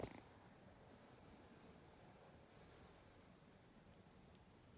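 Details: Ragdoll kitten purring softly, a steady low rumbling vibration held without a break for nearly five seconds, quiet and close, with a faint sharp touch at the very start and no other voices.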